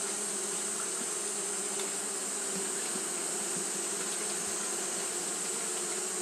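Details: Fanning Japanese honey bees in hot weather; a smooth, sustained low buzz with a clear humming band, plus faint clicks and a steady high-pitched hiss.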